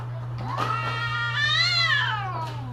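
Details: Mating-season cat giving a single drawn-out yowl, rising slowly to a high wavering peak and sliding back down, over a constant low electrical hum.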